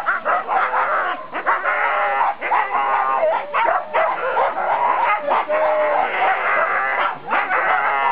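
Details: Siberian Huskies in a four-dog team at the start of the four-dog class, 2008 NSW Siberian Husky Club Sled Dog Shield, Grabine Lakeside Park; many dogs bark, yelp and whine excitedly together in a dense, continuous chorus.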